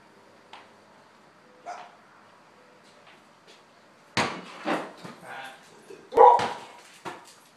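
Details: Border collie dog playing ball with its owner in a garage. Quiet for the first four seconds apart from faint taps, then a few sharp, loud barks spaced about half a second apart, with thumps in between.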